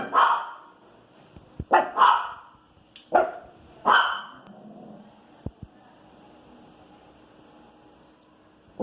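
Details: Female Pinscher dog barking and complaining about street noise: four or five harsh barks in quick uneven succession, two close together, then quiet with a couple of faint clicks.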